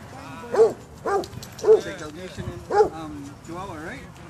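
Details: Basset hounds at a dog park giving a series of four or five arched, tonal barks roughly half a second apart, ending in a wavering, rising yelp, with faint voices underneath.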